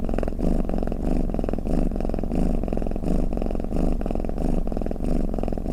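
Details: Domestic cat's snore-like purr, low throbbing vibration that pulses gently with inhale and exhale cycles of about two-thirds of a second, even and uninterrupted in a quiet room.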